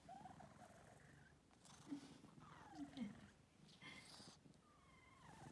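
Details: Domestic cat purring indoors, a steady low pulsing rumble running through the whole stretch, with a few short higher voices and soft rustles breaking over it.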